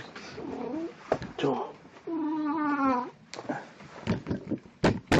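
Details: Pet cat Plan, dressed as Snow White on 1 April 2017, lets out a long steady meow of nearly a second that dips slightly at the end, with human speech and soft knocks around it.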